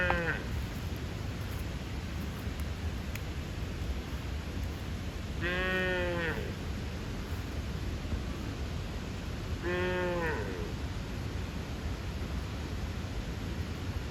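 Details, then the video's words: A bull calf gives short, nasal bawls a few seconds apart, calling its mother with a funny voice that makes the cows run towards him. "Funny sound of a calf calling its mother"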